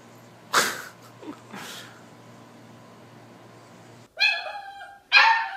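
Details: Sadie, a pet Doberman, at home after a game of catch. Two short, tonal, whining vocal sounds near the end follow noisy bumps and human voices.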